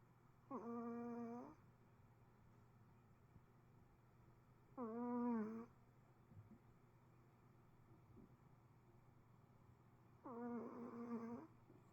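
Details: Sleeping Pomeranian snores in a quiet small room: three drawn-out, nasal, tonal snores about a second each, arriving roughly every five seconds, with near silence between.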